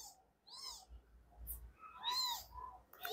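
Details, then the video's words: Three-day-old kittens mewing in a litter: brief, arched squeaks, a louder rising and falling cry partway through, and scattered soft calls between them. "Kittens meowing (too much cuteness) - All talking at the same"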